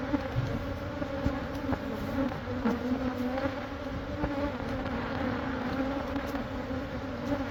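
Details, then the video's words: Honey bee colony that had been in a church building wall near a school in Monrovia for a few months, disturbed during removal; dense continuous humming drone, even and unbroken, with faint clicks. "Super Massive Beehive Removal At A Catholic Church!"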